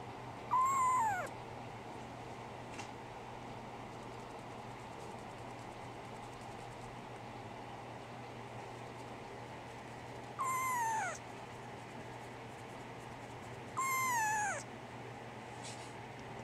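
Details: Brown tabby and white female kitten born 24 December 2010, being raised for a new home, mews three times: one early, then two falling cries near the end, separated by long quiet stretches with faint background hum.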